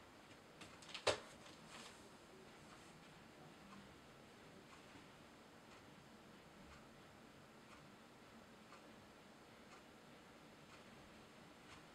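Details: A quiet indoor room with faint ticking and one sharp click near the start, otherwise near-silent hiss, and no animal sounds.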